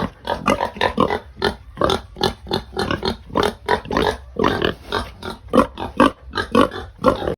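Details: Pigs being fed, noisy at feeding time: a rapid, dense run of short squeals and grunts, several animals overlapping, pulses coming several per second throughout.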